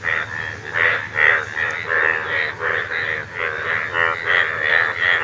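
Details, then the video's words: Frog calling in a steady run of pulsed, nasal croaks, each with a bright buzzy band, repeated roughly two to three times per second. Several callers seem to overlap, with a low hum beneath. "আশ্চর্য ব্যাঙ এর আওয়াজ"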